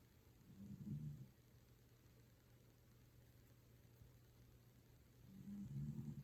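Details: Fast asleep, the Toy Poodle Pusuke gives two low, grumbling snores about five seconds apart, each a raspy rumble lasting about a second. A quiet, steady hum of a room fills the gap between breaths.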